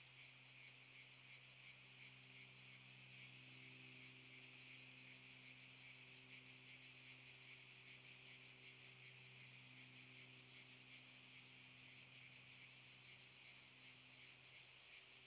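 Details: Zadar park cicadas, Park Šuma Musapstan, August 2014: high rasping buzz pulsing steadily throughout, briefly louder and brighter a few seconds in, over a soft low hum.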